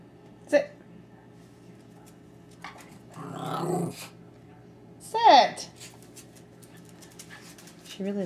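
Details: Jessie, a pet Norfolk Terrier, indoors beside a 10-month-old baby's high chair while eating the baby's Cheerios: a rough, noisy growl of nearly a second midway, between a woman's spoken commands to sit and brief higher baby sounds.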